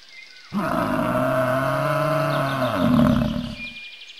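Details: One long, drawn-out bison bellow of about three seconds, droning and harmonically rich, rising slightly near the end, with faint birdsong behind it.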